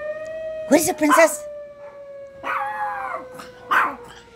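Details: Yorkshire terriers answering an alarm with a pair of loud yelping cries followed by drawn-out, slightly falling wails, set against a steady droning siren.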